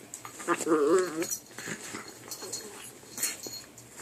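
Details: Two puppies fighting over a chew make weird noises: a wavering, wobbly whining yowl rising and falling for under a second, followed by soft grumbles, snuffles and scuffling sounds.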